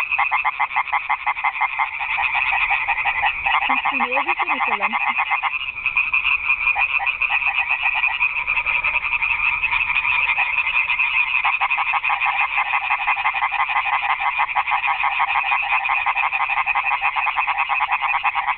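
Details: Garden pond frogs in full nighttime chorus, rapid rattling croaks overlapping without pause; early on a short, low, wavering sound briefly cuts through beneath the chorus.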